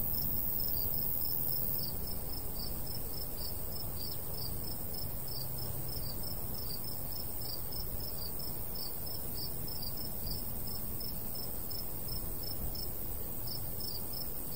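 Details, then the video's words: Steady stream of high cricket chirps, several each second, continuing throughout over a strong low rush of breeze across a golden summer wheat field in the countryside. "Countryside/cricket sounds"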